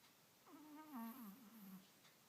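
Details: A pet Chihuahua making a funny noise indoors: a single drawn-out, wavering nasal whine that rises, wobbles and trails off over about a second and a half.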